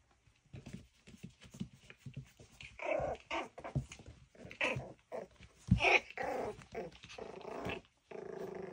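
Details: Miniature schnauzer puppies at play indoors, with rough growling and snarling bursts building midway, interspersed with a yip and scuffling, ending in a sustained low growl.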